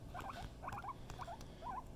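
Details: Pet female guinea pig making soft rapid squeaks in four short bursts of three or four notes each, with a steady low hum behind.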